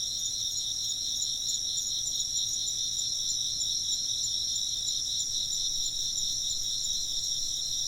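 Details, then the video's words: A continuous insect chorus chirps in a bright, high, shimmering drone of fast pulses. It holds an even level throughout, with a soft background hiss. "風鈴の音と虫の声 - wind chimes and chirping insects"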